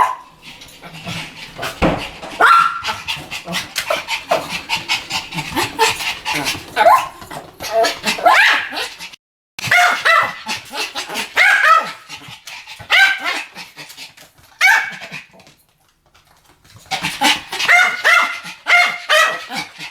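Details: A Pomeranian pair barking together in duet, a dense, almost nonstop stream of shrill yaps across the whole stretch, broken by a few brief silent gaps and quickly resuming.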